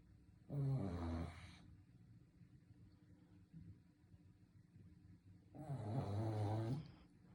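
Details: Sleeping Shih Tzu snoring indoors: two loud, rasping low snores about five seconds apart, each lasting roughly a second, with quiet breathing between them.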